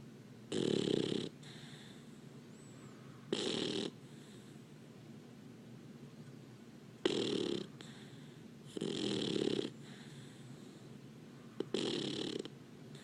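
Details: Sleeping Labrador Retriever puppy snoring indoors: loud, hissy breath bursts of about a second each, repeating every two to three seconds with quiet gaps between.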